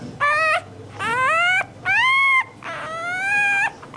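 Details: Crying puppy whose whimpers are said to attract dogs' attention; four long, high whines, some rising at the start and some level, each about half a second to a second long, with brief pauses between.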